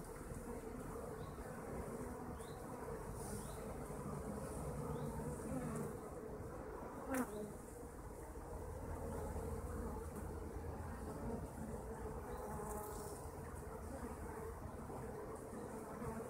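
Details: Kept honeybees producing a steady, droning hum that holds for the whole stretch, a low, even buzz with faint brief rises from individual bees passing close.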